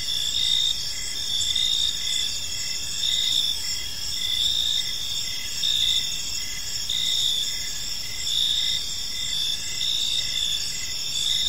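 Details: Gentle chirping of crickets in a tranquil park at evening, a many-voiced shimmering high chorus with rhythmic pulsed chirps near every second, loudness rising and falling slightly over faint distant background noise.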